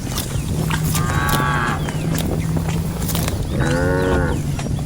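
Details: Two short, rich moos, about two and a half seconds apart, come from cattle grazing across a rice field. High bird twitters and a continuous low droning rumble fill the background.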